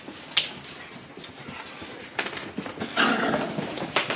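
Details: Shiba Inu puppies playing in the sun on 27 January, giving brief high squeaky whimpers and yips, spaced apart, with soft rustling and bumping between them.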